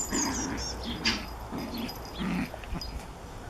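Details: Japanese Chin puppy playing with a Collie: short low growly bursts in a quick uneven series, with a few brief high squeaky notes and scuffling noises between them.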